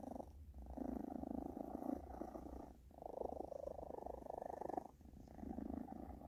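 A British Shorthair cat purrs steadily, a low rumbling vibration broken only by brief pauses for breath.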